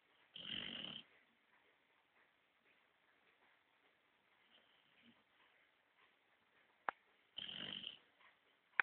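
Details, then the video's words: A 5-month-old Basset Hound snores on a sofa in two loud, rasping bursts about seven seconds apart, with soft breathing between. "Kira, meu basset hound, roncando"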